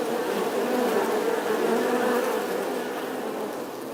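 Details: Honey bees inside a hive making a dense, steady hum, a low drone with layered overtones that holds even and unbroken throughout, with no other sounds.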